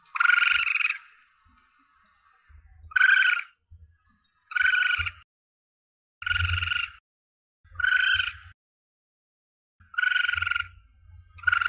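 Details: Young Asian palm civet giving repeated coarse, nasal harmonic cries roughly every one and a half seconds, used by hunters as a lure; soft low thumps and rumbles sound beneath the calls.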